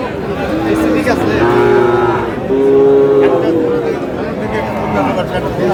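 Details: Sahiwal bull calf lowing at a Brahmanbaria cattle market on 31 March: two or three sustained, tonal moos, level then gently falling, standing out above softer market speech and crowd noise.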